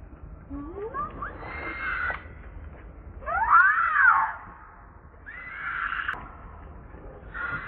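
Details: Young monkey Leo crying to beg milk from its mother: a squeal rising from low to high, then an arched rising-and-falling shriek, followed by two shorter harsh screams.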